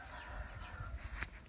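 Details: Doberman puppies nursing from their mother: a brief, thin, drawn-out whine with a faint sharp yip near the end, over low rumbling handling noise.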